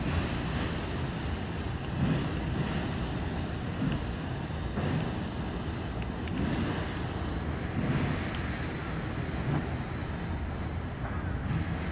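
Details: Seaside ambience of breaking surf and gusting wind buffeting the microphone, with a low engine-like rumble possibly from a boat and occasional faint clicks; no animal calls heard.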